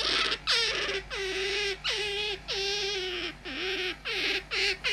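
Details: Pet otter living in a home, calling insistently: repeated piercing squeals, each opening high and dropping to a held, slightly wavering tone, about eight calls in quick succession over a low background hum.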